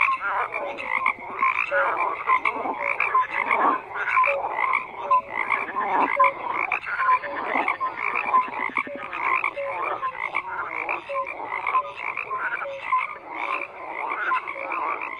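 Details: A dense frog chorus of many overlapping croaks and trills, mostly mid-pitched with brighter clicks above, pulsing continuously with no pauses; short rising notes stand out here and there.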